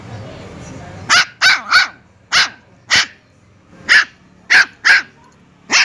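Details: Puppy barking: nine sharp, high, clipped barks in uneven bursts, some in quick pairs and triplets, after a second of low background hum.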